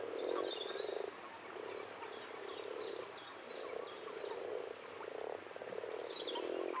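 Common frogs give low, purring croaks in overlapping bursts, with faint bird chirps above.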